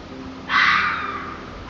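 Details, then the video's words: Red fox scream heard as a single short, raspy, noisy outburst, loudest at the start and trailing off within about half a second over a faint steady background. "Scream of the Red Fox"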